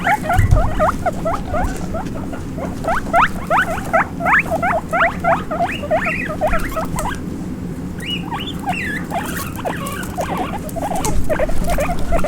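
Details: Baby guinea pig squeaking puipui while running about: rapid, uneven bursts of short upward-sweeping squeaks, roughly three per second, with a brief pause, over low background rumble.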